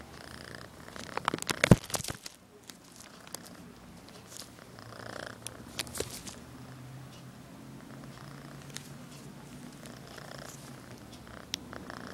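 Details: Pokey, a female orange tabby kitten, plays half inside an envelope indoors, seriously defending her position; a low, steady purring rumble runs through, broken by loud paper crinkling and rustling bursts early on and around the sixth second.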